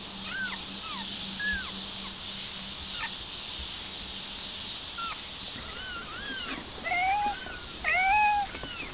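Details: Stray mother cat trying to take her kitten outside: a run of thin, arched mews, rising then falling, comes in quick bursts, then two louder, lower drawn-out meows near the end, over a steady high background hiss.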